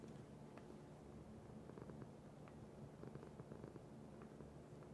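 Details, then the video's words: Low, throbbing purr from a domestic cat, steady and unbroken, with several quick clicks and small rustling sounds scattered over the rumble. "Cat Purr"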